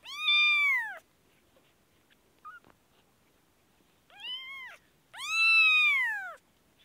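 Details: Kitten with an infection, Kashmir: three clear meows, each an arched, harmonic-rich cry near one second long, the first and last loudest, with a tiny faint squeak between and a quiet room otherwise.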